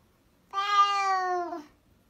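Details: Domestic cat giving one long, loud meow lasting about a second, clear and harmonic, holding level then falling slightly at the end, in an otherwise silent setting.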